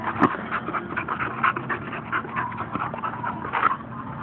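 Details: Balgor, a Bull Terrier obsessed with his ball, panting rapidly in steady bursts with a few thin whimpers and a brief sharp click near the start.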